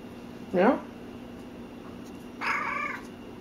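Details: Indoors, talkative cat Cassidy answers a person's short rising "meow?" with a half-second, slightly wavering meow, softer and hoarser than the person's voice, over a quiet room background.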